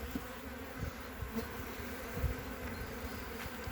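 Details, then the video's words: Honey bee colony on three frames, opened in mid-February 2021 with capped brood showing; a quieter, constant droning hum under light clicks and knocks as frames are moved. "Albine pe 3 rame"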